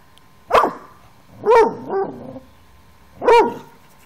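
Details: Bentley, a 5-month-old Airedale Terrier puppy, barks while playing with a toy: three sharp, fairly high barks with a shorter follow-up yelp after the second, spaced a second or two apart in a quiet room.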